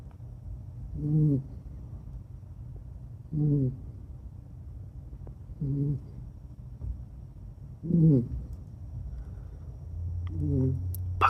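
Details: Deeply asleep female Kaninchen dachshund Ebisu, red long-haired and a former breeding dog, snoring like a person, which is rare for her: five low, rhythmic, buzzing snores about every two and a half seconds.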